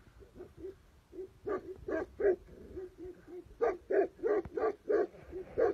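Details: Tibetan Mastiff from Tibet barking steadily, quieter low woofs alternating with loud, full barks in quick succession, roughly three per second toward the end, over a low background rumble.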